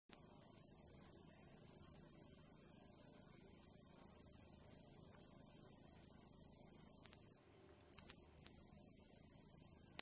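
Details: A cricket trills at night in a high, continuous pulsing buzz that is broken by two brief pauses.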